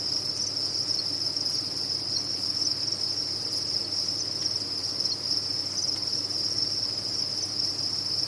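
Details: A chorus of farmed crickets forms one continuous high-pitched ringing trill at a constant level throughout, with a soft background hum beneath.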